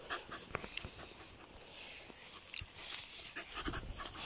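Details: Jagdterrier dog out mushroom picking in autumn, panting in short breathy bursts with hissy high noise, mixed with rustling and scattered clicks underfoot.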